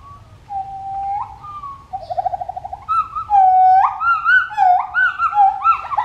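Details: Pileated gibbon family song with clear whistled notes, a brief bubbling trill, then loud rising hoots that swoop upward and repeat quickly, growing louder and more overlapping toward the end.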